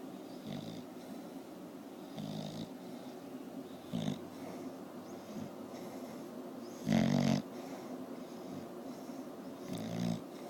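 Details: A bulldog named Porkchop asleep, giving irregular low snores with gaps of one to three seconds, one louder, longer snort-like rattle near the middle, quiet room hiss between breaths.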